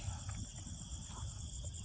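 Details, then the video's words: Night ambience at the Kota Lukut hill fort, Port Dickson, Negeri Sembilan, in mist and rain: an unbroken, steady, high-pitched insect trill from crickets rings over a dense low rumble with faint knocks. "Boleh dengar bunyi cengkerik."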